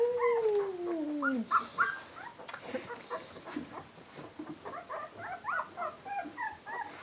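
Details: Twelve-day-old Barbet puppies starting to totter about: an opening falling whine, then many short, overlapping squeaks and whimpers from the litter, softer toward the end.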